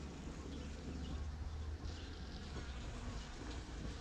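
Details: Kept bees foraging on pitaya (dragon fruit) flowers at La Saline, Réunion Island, on 6 February 2018: a steady low droning hum runs throughout with soft rustling and faint background noise.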